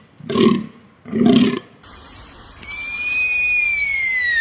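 A deer gives two hoarse, grunting bleats, then a long, thin whistle that slowly falls in pitch.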